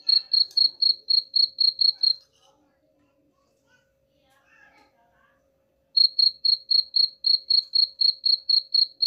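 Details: Rat-repelling cricket sound: bright, high chirps pulsing about four per second, broken by a silent gap of nearly four seconds before the rapid chirping resumes.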